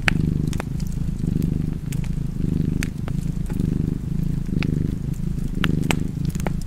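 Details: Cat purring by a crackling fireplace: a steady low rumble that swells and fades with each breath, just under once a second, while sharp pops and crackles from the fire sound over it.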